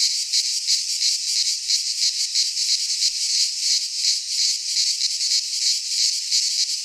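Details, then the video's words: Greek pine forest cicadas in midsummer produce an intense, rasping high drone that pulses quickly and fairly evenly, like a rattling hiss, with no birds, wind or people heard. "Cicadas singing in midsummer - Nature sounds from the Greek fauna - Sounds of cicadas"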